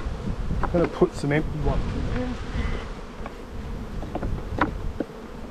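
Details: Honey bees humming steadily in a bee yard during a spring buildup hive inspection, a low continuous drone running under short bursts of human voice and a few knocks.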